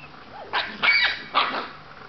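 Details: Scottish Terrier puppy giving three short, high-pitched yapping barks within about one second, each a bright harmonic burst, with quiet room background between them.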